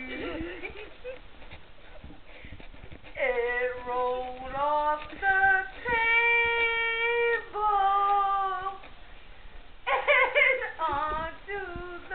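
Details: Several Siberian huskies at a backyard breeder kennel howl together in long, harmonic, wavering tones, overlapping voices rising and falling over about twelve seconds, with brief yelping bursts near the end.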